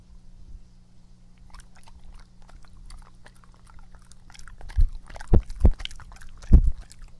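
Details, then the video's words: Epo, a pet dog, in a close-up ASMR recording indoors: quiet soft breathing at first, then wet, crunchy chewing clicks build up after about four and a half seconds, with several sharp loud bites near the end. "ASMR🐕 breath/Mastication sound/drink"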